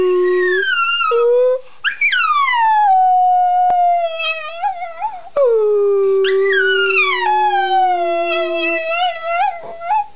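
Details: Sleepy Miniature Schnauzer howling in long sustained tones that slide and waver, rising sharply then falling into drawn-out notes, with brief breaks between phrases.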